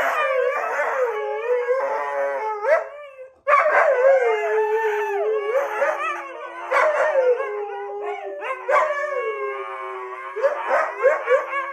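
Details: Husky howling: a long, continuous wavering howl that rises and falls in pitch, breaking into yodel-like yips and warbles, with a brief pause near the middle before it resumes just as loud.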